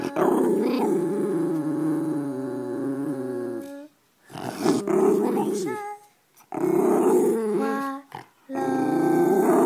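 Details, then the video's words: White schnauzer singing indoors: long, sustained, harmonically rich moaning howls broken into phrases of several seconds, with short wavering pitch slides and brief gaps of silence between them. "the white schnauzer sing"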